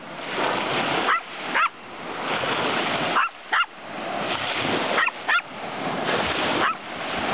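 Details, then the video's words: Jack, a dog, barking at waves in a bay at St. Albans on the south coast of Newfoundland; short barks, mostly in pairs, about every one to two seconds, over loud continuous surf and wind. "Jack barking at Waves"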